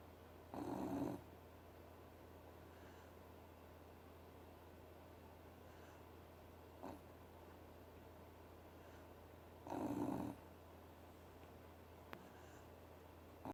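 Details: A sleeping Beagle named Choco, in a Shima Hoi pet bed, snores in two loud breathy bursts about nine seconds apart, with a brief fainter snort between them over a steady low hum.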